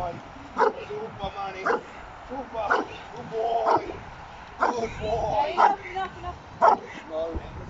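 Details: Trained giant schnauzer at an AVD 2020 Bronze Class dog sport entry, barking in short bursts roughly once a second, several barks in a row, with a man's voice speaking in between and over the barking.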